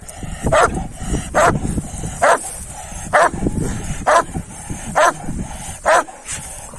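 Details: Kangal dogs, males after a female dog, barking in a steady series: seven sharp, mid-pitched barks about once a second, with voices talking and a low rumble underneath.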